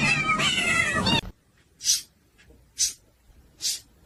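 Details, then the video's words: Kitten crying: a loud, drawn-out, wavering meow with strong harmonics lasting about a second, followed by three brief hissy high-pitched bursts against quiet background. "kitten meowing crying"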